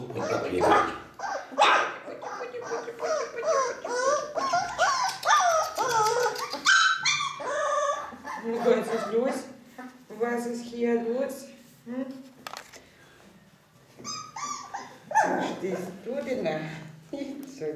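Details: Ca de Bou puppies at four weeks old give a busy stream of high whiny yips and whimpers, some brief barks, overlapping with a woman talking to them in German and light background music.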